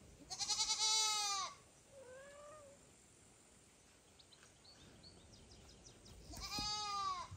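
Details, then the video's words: Someone loudly calling mother cat Kira while foster kitten Ginny and kitten Leo stay close: a long, loud, downward-bending cry, a soft short meow, then another loud cry near the end. "Mom cat doesn't understand who is calling her so loudly"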